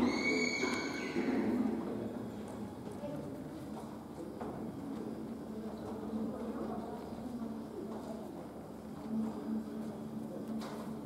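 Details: Welsh pony mare, born 2017, giving a short high neigh at the start, then hoof steps, shuffling and faint low noises through the rest of the recording.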